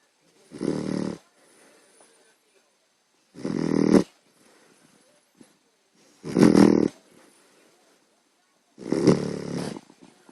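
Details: Puppy fast asleep, producing heavy, gravelly snores: four rough, rattling breaths of under a second each, repeated about every two and a half seconds with near silence between them.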